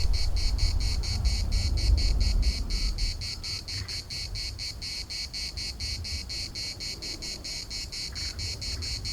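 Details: Chorus of cicadas in Larnaca's municipal park, a high rasping drone throbbing in quick regular pulses, over a heavy low rumble of traffic-like noise that is loudest in the first three seconds and then eases.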